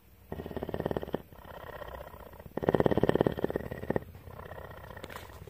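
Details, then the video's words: Captive female cougar Tawney at CARE, Bridgeport, Texas, gives a throbbing, rapidly pulsed purr in two main surges, the second louder, with a softer steady rumble between them and a brief click at the end. "One hour of: Cougar purr!"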